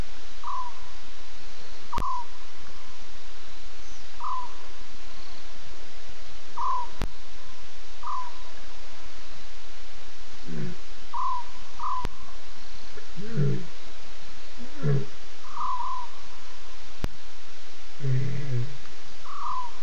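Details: Nkuhuma lioness visiting a waterhole at night, 12:30 a.m. on September 12, giving contact calls: short, low, moaning calls around the middle and end, spaced a few seconds apart, over steady repeated higher chirps from other night animals.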